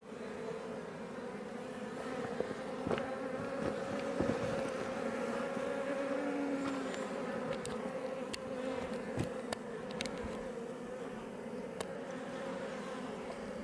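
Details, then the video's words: Iberian honey bees flying outside a Langstroth hive west of Roquetes, south Tarragona, Catalonia, Spain, near Els Port National Park; a dense, steady droning hum of many bees with scattered sharp ticks and clicks throughout. "Honey Bees Healing Sound Effect"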